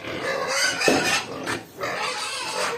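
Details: Two-week-old native piglets on a farm, noisy at feeding time as feed is brought, give dense overlapping squeals and grunts with broadband noisy bursts and a short rising squeal near the one-second mark.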